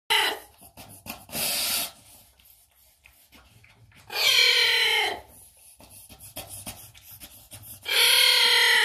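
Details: Young giant anteater at Zoo Magdeburg making itself loudly heard within its family; loud, shrill, strongly harmonic wailing calls, each about a second long, come in three or four bursts, separated by quieter rustling and shuffling.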